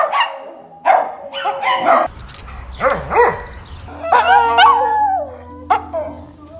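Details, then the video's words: Dog in a compilation of funny noises: several short barks and yips, then a high, wavering whine that bends up and down, with a low hum underneath. "Weird sounds dogs make"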